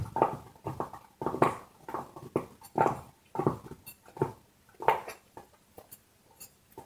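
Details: Dog chewing a bone: crunching, crackling bursts of gnawing, roughly one every second or so, irregular in strength, with short quiet gaps between bites.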